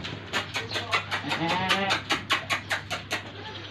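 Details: Original Cypriot goat with a male and a female kid at a goat trader's in Egypt, bleating in a rapid series of short, harsh, quavering cries about four per second, over a steady low hum and a man speaking.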